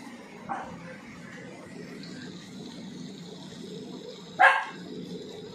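A Pomeranian puppy gives a faint short yip, then one sharp, high bark a few seconds later.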